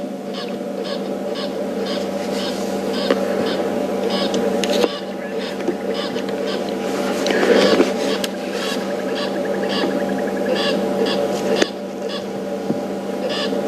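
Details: Squirrel shouting its alarm at an otherwise quiet Buffelshoek Dam, tail flicking with each squeaky-toy note; rapid chattering bursts keep repeating through the whole stretch above a steady low mechanical hum.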